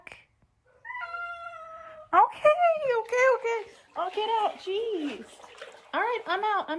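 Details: Domestic cat giving a run of loud, drawn-out meows, each rising then falling, some wavering and yowl-like, following a short steady tone at the start; one meow stands apart near the end, in a small indoor room.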